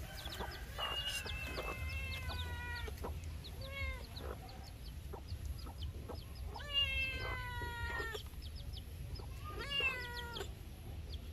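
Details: Kittens mewing: a series of high, harmonic meows, some level, some bending downward, several overlapping in bursts with short gaps, over a low steady background rumble.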